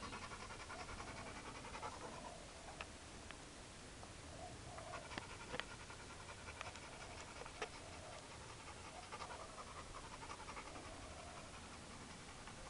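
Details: Steady, fast breathy panting from Chad, a hyperactive four-year-old Labrador, while no one is looking, broken by scattered sharp clicks and taps.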